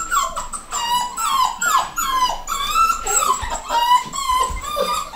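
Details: Nine-week-old pedigree miniature dachshund puppies, a home-bred litter of males and females, whining almost continuously: overlapping high, wavering cries that rise and fall, several pups at once with barely a pause.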